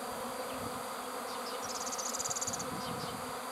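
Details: Honey bee swarm: a dense, steady low droning hum of many bees, with a brief burst of rapid high-pitched pulsed chirps near the middle.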